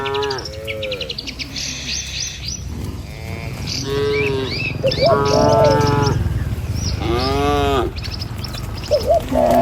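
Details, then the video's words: Herd of cattle driven along a village road toward their pen, amid trees and rice fields: a run of overlapping, harmonic moos, some short and some drawn out, follows one after another, with bright bird chirps twittering above. "Gembala Kawanan Sapi Lembu Di Jalan Truk Menuju Kandang, Suara Cow Sepanjang Jalan Desa"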